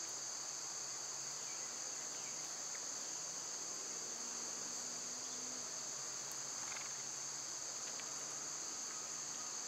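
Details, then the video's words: Summer cicada chorus: a dense, even, high-pitched hiss in two bright layers that runs unchanged from start to finish, with a faint low murmur below and a single sharp click. "Cicada sounds"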